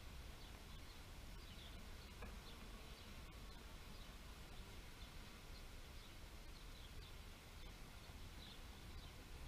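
A steady, low droning buzz of many bees, like a busy hive or swarm.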